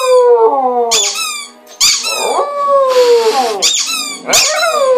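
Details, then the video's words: Female pet dog howling, set off by one of her squeaky toys: long, drawn-out tones that slide gently downward, again and again, broken by sharp, high squeaky-toy bursts. "Howling dog"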